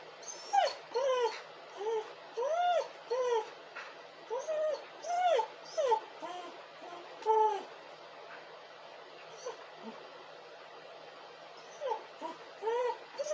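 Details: Dog crying: a run of arched, whiny whimpers, each about half a second, coming in irregular bursts with short pauses and a few softer yips near the end.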